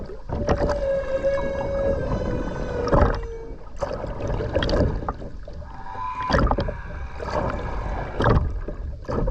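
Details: Humpback whale singing in the Ogasawara Islands sea, Tokyo, Japan, 29 January 2022, recorded underwater while skin diving: a long level moan falling at its end, then a short rising tonal unit, with splashy, gurgling water throughout.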